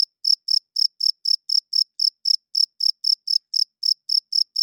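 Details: Night chirping of a male cricket, a song for attracting females and claiming territory: bright, high, evenly spaced chirps, roughly four each second, ringing over complete silence.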